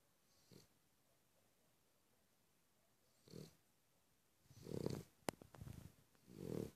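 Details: Cavalier King Charles Spaniel snoring. Two faint, soft breaths come early, then louder rasping snore bursts follow. A sharp click is heard near the end.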